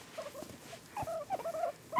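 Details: Two male guinea pigs kept as pets, making noises while being petted: short tonal squeaky notes in a quick uneven cluster, louder toward the end, with soft room sounds around them.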